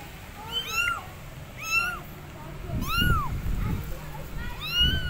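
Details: Loud, arched meows from abandoned kittens on a gate calling for their mother cat, four calls roughly a second apart over a low, rumbling background.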